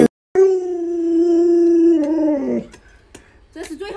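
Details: Luoluo, a pet Alaskan Malamute, howls around feeding time as its owner offers a chicken leg: a loud, steady, tonal howl held for over a second, then sliding downward and breaking off, followed by brief indoor noises.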